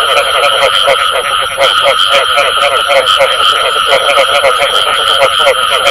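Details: Chorus of frogs giving the bù tọt call: quick, uneven croaking pulses at roughly four per second, unbroken throughout, against a steady electronic whine.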